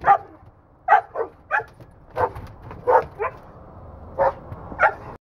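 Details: Pinscher during protection agitation training while shut in a crate, growing more protective: a volley of about ten loud, sharp, excited barks, some doubled, coming roughly every half second.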